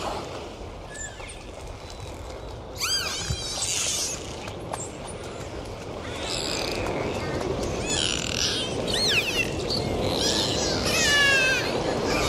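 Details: Dolphins whistling against a constant watery hiss, with a series of looping, wavering high whistles and rapid pulsed, harmonic calls that repeat and overlap. The calls grow busier and louder in the second half.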